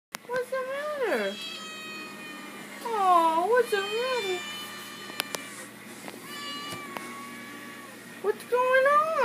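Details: Female house cat begging for treats she knows are in a cabinet, indoors; loud, drawn-out wavering meows, each bending up then down, in three bouts, with a person talking softly between them.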